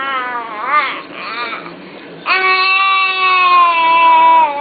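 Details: A wolf called Ethan starts with quick rising, wavering yips, then draws out a long, smooth howl-like whine, steady and gently falling over about two seconds.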